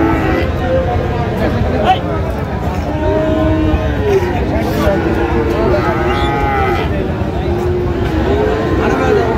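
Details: Friesian and crossbred bull calves, about three to four months old, at a livestock market in Raniganj, Dinajpur; repeated low drawn-out moos from several cattle over constant crowd chatter and bargaining voices.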